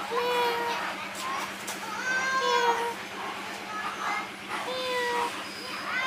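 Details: Tired kittens sheltering under a wooden hole give repeated high mews, each a short harmonic cry, some rising then falling, several overlapping across the few seconds over a steady low electrical hum.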